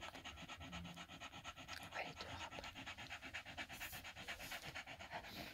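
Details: Staffordshire Bull Terrier with its five-day-old puppies from the 54th litter, recorded indoors at 21:20 on 1 November 2023; steady rhythmic panting, about two breaths per second, fills the clip with no other clear sounds.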